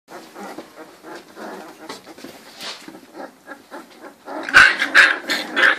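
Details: Litter of three-week-old Cane Corso puppies, whose sire is Faust Di Casa Pretorian and dam Geisha De Nobil Rose, making soft murmuring grunts that swell into louder high whines and squeals near the end.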